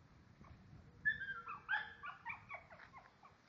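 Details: Lagotto Romagnolo dog at Osteria Grande: two loud, high, drawn-out whines in quick succession, each sliding downward, followed by several shorter broken whimpers fading out.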